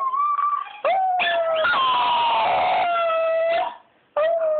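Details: Small female dog, part Chihuahua, normally very quiet, howling along on hearing another dog's howl played back: sustained wavering tones that slide downward, broken by short pauses, with a second howling voice overlapping.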